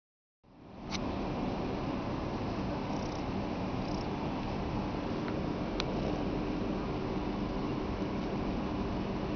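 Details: Short-haired cat purring up close: a steady, continuous rumbling purr with a pulsing low texture that runs without a break, with a couple of faint soft clicks partway through.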